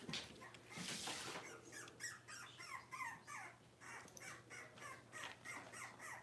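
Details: Six-week-old Cavalier King Charles Spaniel puppies in an indoor puppy pen, on the day they are dewormed and have their toenails trimmed, give high, squeaky whines in a quick, uneven series over a steady low room hum.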